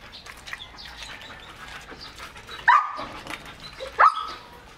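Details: Excited male German Shepherd x Labrador mix while eating about three quarters of a kilo of raw chicken: two short, sharp yips roughly a second apart, breaking through a quiet, low background.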